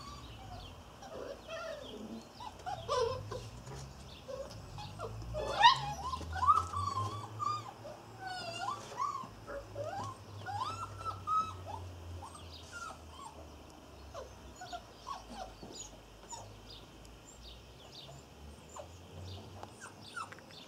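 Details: Irish Terrier puppies, a litter of six nearly eight weeks old, whining in thin, wavering bursts of rising and falling squeaks, some overlapping, over a low steady hum, with scattered clicks and rustles.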